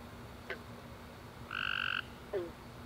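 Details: A single tree frog chirp at night after a rainy summer day, one buzzy half-second note standing over a quiet low hum, with faint clicks just before and after.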